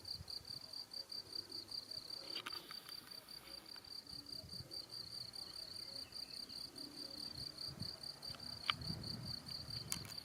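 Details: ['High, even trilling of crickets in rural Salzburg, Austria, in April 2018, recorded on a bike ride. The thin, continuous shrill note holds steady, with soft rustling and occasional faint clicks beneath.']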